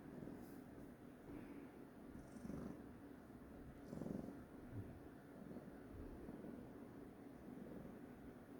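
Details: Purring from a cat said to be in a grumpy mood: a soft, continuous low throb with gentle swells around two and a half and four seconds, and faint background hum.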